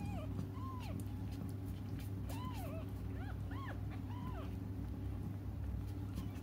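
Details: Cats crying while they wait for their mother utter a quick series of brief arched mews, several overlapping in the middle, over a heavy low rumble of background noise.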